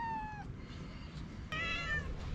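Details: Hungry feral cat on a sidewalk begging for food: one falling meow, a pause, then a second brighter, louder meow, with light street background.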